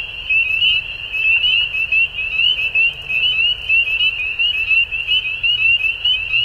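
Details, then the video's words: Frogs calling at dusk in spring in Ontario, Canada: a dense chorus of high, shrill peeps overlapping without pause, each note short and slightly rising, forming a continuous ringing band over a faint low rumble. "Frog Sounds At Dusk"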